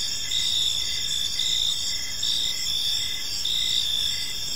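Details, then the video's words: Crickets in an evening park, a continuous high-pitched trilling chorus with short repeated pulses under a steady bright ringing tone, faint low background noise. "Cricket Sounds in a Peaceful Park"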